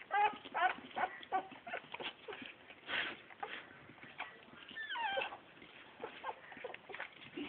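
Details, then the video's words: Bull Terrier puppies whining and squealing, a busy run of short high-pitched cries with a few longer wavering whines that bend up and down, overlapping one another throughout. "BULL TERRIER PUPPIES."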